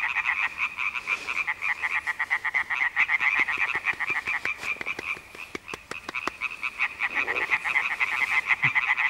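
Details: European tree frogs croak at dusk near Knuthenlund on Lolland, Denmark, in a dense chorus of rapid, rasping, high-pitched notes.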